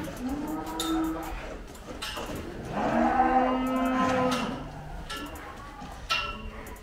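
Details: Difficult-to-handle Gama F1 cow, a Belgian Blue x Brahman cross with two calves, being weighed; a series of low moos, the strongest swelling in the middle, with clanking and rattling noises throughout.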